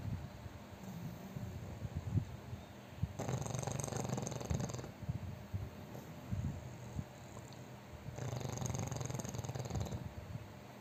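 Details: A fat pug sleeping and snoring very loudly: harsh, rasping snore bursts around 3–5 s and again around 8–10 s, with a low rumbling breath between them.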